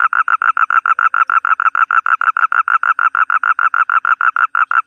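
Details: A toad's call, a rapid series of short, even croaking pulses, about five per second, held at one steady mid pitch across five seconds before stopping.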